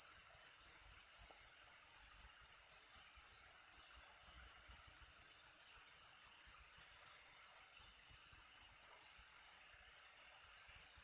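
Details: Cricket chirping, offered as a sound to drive away rats: steady high, shrill pulses, close to four per second, continuing evenly without pause over a quiet background.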